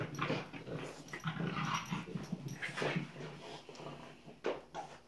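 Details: Playing French Bulldog puppies named Tinkerbell and Woody give dense, scrappy growls and breathy grunts that rise and fall in quick bursts, ending with a couple of sharper whiny notes.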